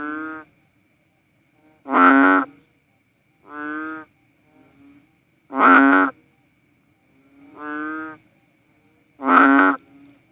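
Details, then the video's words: Cowsound frog, a Philippine banded bullfrog, repeating short mooing croaks, a softer note then a louder, harsher one, about every two seconds; very quiet surroundings. "Sounds of a Philippine Banded Bullfrog | Cowsound frog"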